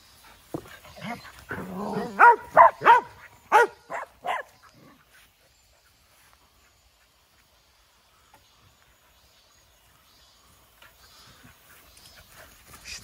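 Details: Dog heading out to a playground on a summer morning, letting out about six sharp, clipped barks in a quick burst, followed by near silence with faint rustling.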